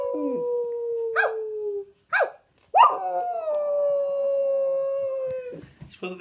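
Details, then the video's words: Female pet dog howling like a wolf: long, steady, clear howls that slowly sink in pitch, broken by short sharp yelping bursts in between. "My dog howls?!?!"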